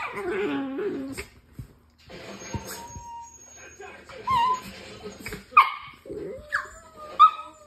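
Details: A dog gives funny noises: soft whimpers and short high yips, some rising then dropping sharply, scattered irregularly through the recording, with a few quiet clicks and faint talking in between.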